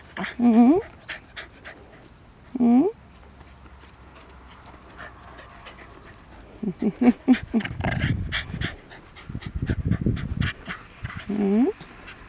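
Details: West Highland White Terrier walking outdoors with friends on a sunny day, giving loud single barks near the start and again at the end, with panting and people talking in the middle.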